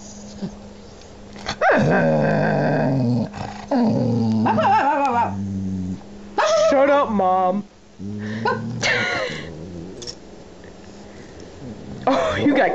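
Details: Amber the pet dog grumbles when annoyed, with long wavering howl-like moans and growling rumbles that rise and fall in pitch in several drawn-out bursts, broken by brief pauses, indoors, a woman's voice between them.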